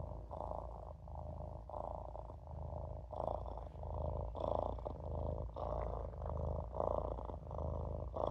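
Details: Olof, a Maine Coon kitten, purrs while napping in a sink: a steady low rumble pulsing in soft waves about every second and a half, with a faint higher hum running alongside.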